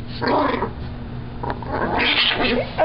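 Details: Chihuahua growling while having her teeth brushed at home; two rough, snarling growl bursts, the second louder and higher, with a brief click between.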